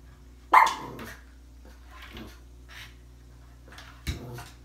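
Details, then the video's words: Pug barking, described as jealous and upset at Valentine's Day flowers: two sharp, short barks about three and a half seconds apart, with faint sounds between them and a low steady hum underneath. "Pug dog hates flowers Happy Valentine's Day 2017 barking funny jealous dogs angry upset mad"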